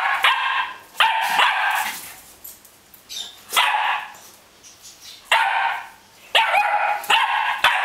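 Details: Löwchen barking during play as another dog tries to play with it, January 2008; bursts of loud, harmonic barks in quick pairs and runs with short pauses between.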